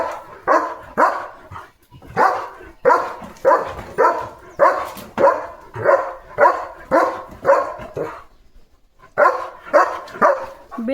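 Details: German Shepherd named Leo in a home garden courtyard with flowers, barking steadily: about seventeen sharp, broad barks at a fast, fairly even pace, with a brief gap near the end before the barking resumes.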